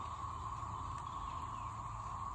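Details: A steady, unbroken cicada chorus in a yard on the morning of 9 May 2024, during a tornado warning after rain, with water dripping from trees and a low rumble underneath.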